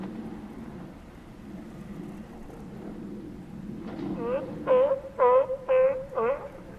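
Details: Steller sea lions at Cowichan Bay on Vancouver Island, Canada: a low murmuring background gives way after four seconds to five loud, harmonic, upward-curving barks spaced about half a second apart.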